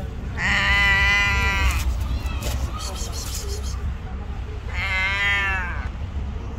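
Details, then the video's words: A stray cat hiding under a wall, crying as if afraid of being hurt; two long, harmonic, wavering meows several seconds apart over low background rumble. "The cute cat is hiding under the wall and crying"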